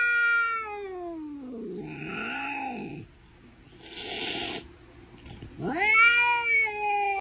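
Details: Domestic cat caterwauling in long, sliding, harmonic wails that fall and wobble, broken by a brief breathy noisy burst, then a steeply rising loud yowl that levels off and trails on.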